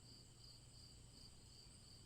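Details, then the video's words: Crickets give repetitive, high-pitched chirps, pulsing roughly every half second in layered bands above a steady low droning hum. "Crickets Chirping"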